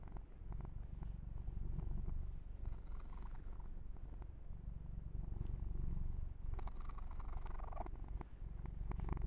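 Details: Kitten Yumak purrs continuously while being massaged and groomed, a deep pulsing rumble held throughout, overlaid by brushing fur sounds and light smacking noises in the middle and toward the end.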